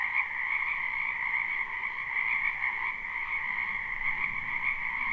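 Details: Many frogs calling in a spring wetland behind a house, recorded live without looping: a dense, unbroken croaking chorus forming a steady shimmering trill at two stacked pitches, loudness even throughout.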